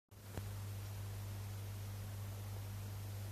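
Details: A steady low electrical hum under quiet room noise follows a single click near the start, with no breathing or snoring rhythm.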